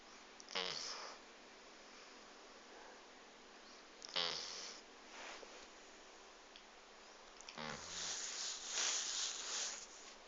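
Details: Sleeping dog snoring indoors in a quiet small room: three hissy, snorting breaths roughly every three and a half seconds, the last one drawn out and rougher, with faint room hum between.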